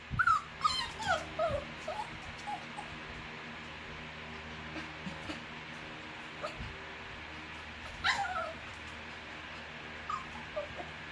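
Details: Young female Bichon Frise, less than a year old, whimpering: a cluster of rapid falling whines at the start, then scattered softer ones, a sharper downward whine near the middle, and a few faint ones toward the end over a background hum.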